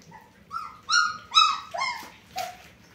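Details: German Shepherd puppies giving a few drawn-out whines, rising then falling, with strong harmonics; about five separate cries over a few seconds, the last one breaking into a rougher yelp, quiet background otherwise.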